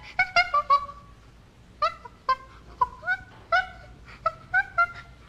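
Common chimpanzee giving bursts of short, tonal hoots and squeals that slide downward.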